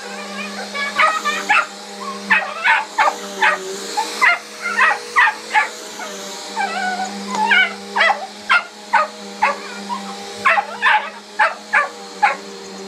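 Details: Miniature Australian Shepherd named Hiccup barking at a running household vacuum cleaner indoors: sharp yipping barks in quick pairs and bursts, roughly twenty over the stretch, over the vacuum's steady motor hum.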